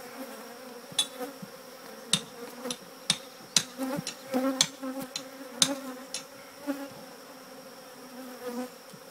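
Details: Bees gathered near their former hive during removal of the colony from an old church: a constant droning buzz beneath repeated sharp clicks and taps, some close together around the middle.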